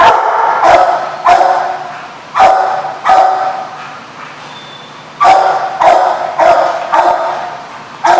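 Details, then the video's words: Dog recorded on 7/3/15 giving loud, abrupt barks in uneven bursts, with a longer pause midway; a steady whining tone and low hum sit underneath. "The Barking Lot"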